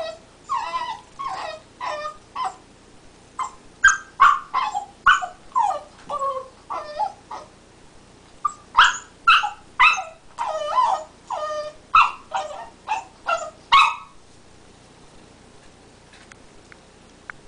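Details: Teething black Lab puppy Ike chews and vocalises with rapid whimpers, yips and sharper barks, a dense run of quick cries over about fourteen seconds before falling silent.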